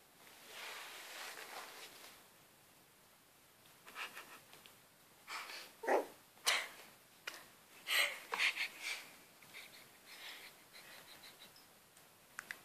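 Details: Shetland Sheepdog puppy confronting a cat, giving short, sharp, high yips and barks in scattered bursts, a few with a brief whiny tone, separated by quiet gaps with faint room noise.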